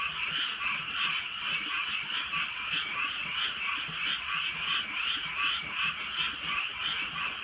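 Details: Many frogs calling together on a drizzly countryside night: a dense, rattling croak chorus pulsing steadily in a mid-high band, with overlapping callers and soft rain patter beneath.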